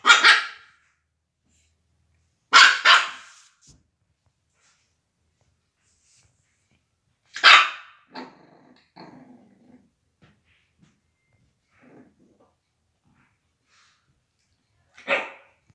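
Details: A Shih Tzu puppy gives sharp, high barks, spaced several seconds apart.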